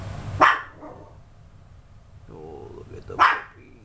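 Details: Yorkshire Terrier at home alongside its 32-day-old puppies: two short, piercing yaps about three seconds apart, a woman's cooing voice praising the mother dog in the gap, steady indoor hum beneath.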